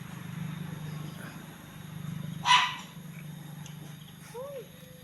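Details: Puppies being fed snacks; a single sharp, bright bark bursts out midway, followed by a faint short rising whimper, over a steady low electrical hum.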